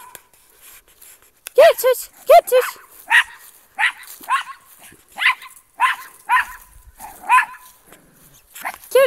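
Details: Barking pet dog treating a trash bag as an intruder, loud harsh barks in uneven runs of two or three, each strongly tonal and falling in pitch, roughly one to two per second, voices faint in the background.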